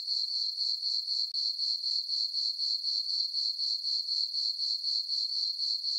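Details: Crickets chirping on a peaceful summer night in a meadow on a farm under a full moon: a steady high-pitched trill pulsing about four times a second, even and unbroken, with no other sounds.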